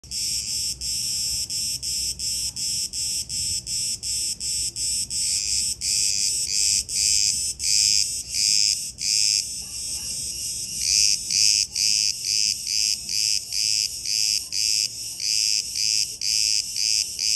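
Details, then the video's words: Chorus of cicadas in Crete, Greece: dense, hissing high-pitched buzz pulsing in rapid bursts about twice a second, with brief gaps and a few stronger surges from overlapping callers. "Cicadas Orchestra"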